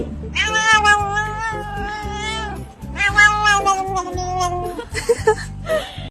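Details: A domestic cat gives long, wavering meows that rise and fall, over a steady musical beat.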